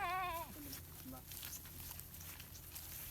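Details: Among a village herd of goats and sheep, a short nasal bleat opens the recording, followed by a couple of brief low calls, then only a steady low hum and faint background noise.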